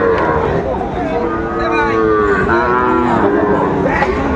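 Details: Bulls for farm rearing at a Chattogram cattle market, Bangladesh, 17 August 2024: several overlapping drawn-out moos swelling and fading across the crowd, mixed with steady background chatter and brief voices.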